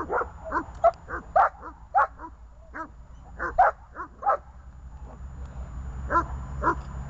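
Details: Dogs Glemmy, Fela and Rey on a leash, giving sharp barks in quick bursts of two or three, with pauses between the bursts. A dog whines faintly near the end, and a low hum runs underneath.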